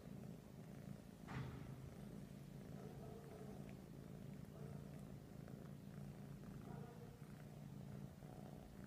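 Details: Persian cats cuddling, one purring steadily with a low rumbling drone throughout, a brief sharp rustle near the start.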